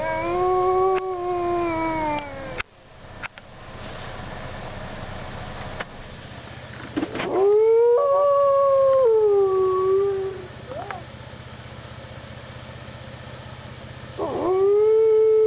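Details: Several howling wolves at Parc Oméga, 7 March 2013: long smooth howls that bend downward, separated by quieter gaps with faint overlapping voices, a new rising howl starting near the end.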